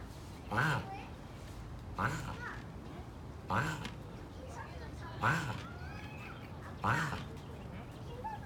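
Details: Turtles heard in San Diego, California, USA, on October 21, 2019, first mistaken for birds: short, hoarse, bird-like squawks repeated roughly every one and a half seconds, five in all, with faint rustling between.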